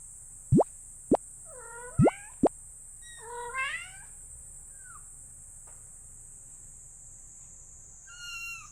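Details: Kitten indoors giving two short, rising mews with stacked harmonics, between sharp popping plops, then a faint chirp; a steady high whine runs throughout and a last mew sounds at the end.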